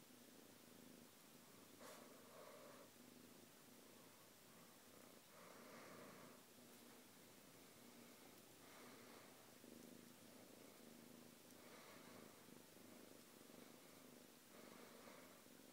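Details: Quietly purring house cat, content alongside a fellow pet; a faint, steady low rumble with a sharp click near two seconds and rhythmic breathy surges recurring about every three seconds.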